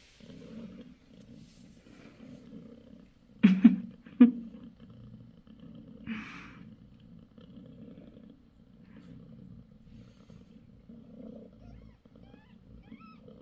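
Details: Low pulsing purr from Bassy, a mother cat on the sixth day after delivering five kittens, running steadily throughout, with two sharp clicks and a brief soft rustle in the middle.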